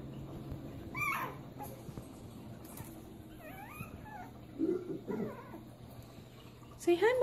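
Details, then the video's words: Chihuahuas greeting on cue indoors, one named Dixie among them: high, wavering whimpers and whines that bend up and down, in short bursts between a woman's coaxing voice urging them to say hi to mommy. "SC CHIHUAHUAS - saying hello"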